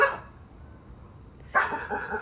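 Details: Dog in a backyard barking at the grass; one sharp bark at the start, a quiet pause, then a second louder bark with a short trailing yelp.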